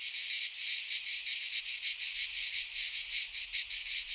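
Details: Midsummer chorus of cicadas in a pine forest in Greece, a harsh continuous high buzz swelling and fading in quick rhythmic pulses, with only a faint low rumble beneath.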